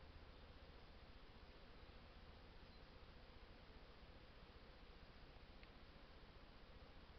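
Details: Honey bees at hives during an artificial swarm fill the air with a steady, low, droning hum from many wings.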